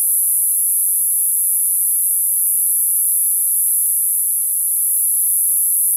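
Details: Summer cicada song: an even, piercing, high electric-sounding drone sustained throughout with no pauses.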